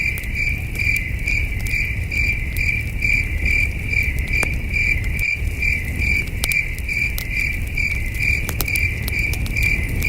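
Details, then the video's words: Far-off crickets under a starry night sky at a campsite: a shrill, regularly pulsing chirp repeating about twice a second, joined by intermittent campfire crackles and a soft, low, breezy background. "Camping Under a Million Stars with Soothing Cricket Sounds"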